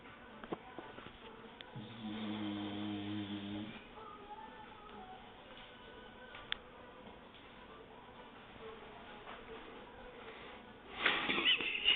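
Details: A female English Bulldog gives a single low, buzzy, rattling snore amid quiet indoor background noise.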